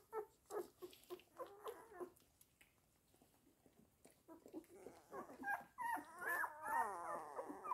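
A Weimaraner gives short, high yelping whines, then longer wavering whimpers that rise and fall.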